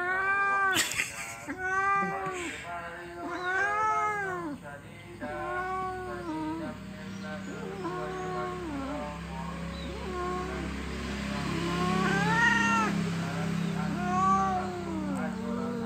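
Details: Orange domestic cat meowing back while being lectured and talked to indoors: a long run of arched, tonal meows roughly every one to two seconds, some drawn out and rising then falling, with a faint steady hum underneath.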